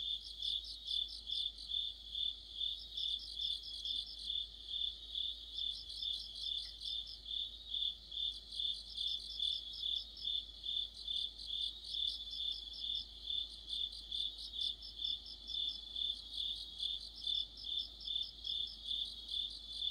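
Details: Autumn insect orchestra of crickets and companions near a streetlight, with evenly spaced high-pitched chirps, about two per second, running unbroken. Bursts of sharper, rapid trilling from neighbouring insects rise and fade every few seconds.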